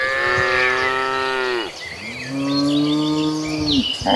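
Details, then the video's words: Herd of cattle mooing while walking toward a green pasture; two long, low harmonic moos, the first about 1.7 seconds and the second falling slightly at the end, with chirping birds in the background. "A Herd of Mooing Cattle Walking Toward a Green Pasture, the Sound of Mooing Cows"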